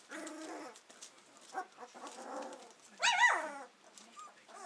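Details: Hovawart puppies of Paula's R litter, just over two weeks old and beginning to use their senses while exploring; soft harmonic whines and squeaks, then one louder high rising-falling squeal near the middle, followed by quieter whimpers.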